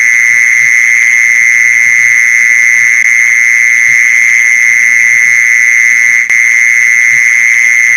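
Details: Mole cricket trill meant to lure mole crickets, a constant high, droning buzz with no gaps; one short click interrupts after six seconds, over a faint low murmur.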